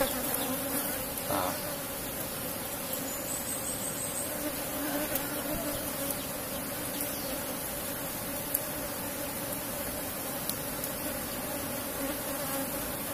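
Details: Asian honey bees of a strong cultivated colony in a box hive during a honey harvest: a soft, steady, low buzz hums on without pause, with faint hiss and a brief tap early on.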